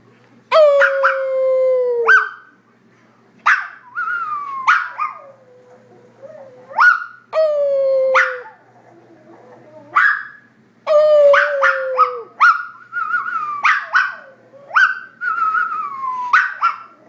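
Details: A Maltese dog playing on a chair gives a long run of high, drawn-out whining howls and yelps, each sliding downward, interspersed with sharp barks in bursts about every one to two seconds, with little background noise.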